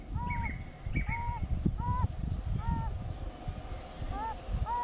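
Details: Two or more yellow-bellied toads calling in the breeding season, each giving a short, mellow, slightly rising-falling note about once a second, with heavy low rumble and a faint high whistle overhead.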